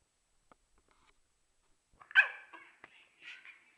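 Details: Okami, a dog wanting to play and fussing at Urd, who cannot hear him: a few faint ticks, then one loud strained bark followed by short whiny yelps and a softer closing whine indoors.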